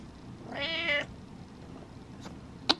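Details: Cat asking for its owner's attention with a single strong, bright meow of about half a second, richly layered and steady, followed by quiet room tone and two sharp clicks.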